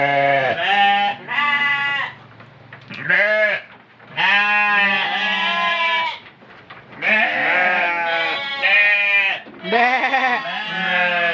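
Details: Goat for the Qurban sacrifice bleating almost nonstop, with long, shaky, overlapping cries that rise and fall, and only brief pauses between bursts.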